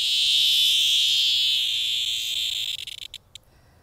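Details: A cicada, one of several found on sidewalks in 2020, gives a loud, shrill, continuous buzz that slowly fades, then breaks into a few short stuttering bursts before stopping.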